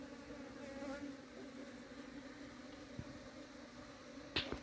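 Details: During summertime hive cleaning, honey bees hum in a constant low drone with a higher layer, while knocks and a sharp rattle of handled comb sound toward the end.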